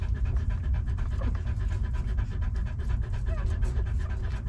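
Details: Several puppies nurse at their mother, producing continuous quick smacking and huffing breaths in an even rhythm over a low, muffled background rumble.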